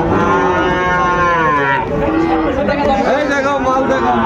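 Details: At Ambari cattle market in Dinajpur, 14 March 2025, a Sahiwal bull calf gives a loud, strained moo that slides downward over almost two seconds, then fades into crowd chatter and softer lowing from nearby animals.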